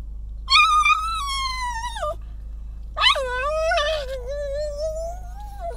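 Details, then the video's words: Pug crying because he wants to play in the snow: two long, high, tonal whines, the first steady then falling at its end, the second starting sharply and wavering, over a steady low hum. "crying, because he wants to play in the snow #jagr #pug"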